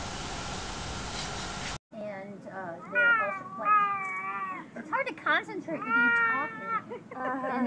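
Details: A male clouded leopard (Neofelis nebulosa) gives a run of drawn-out, wavering meows that bend up and down in pitch.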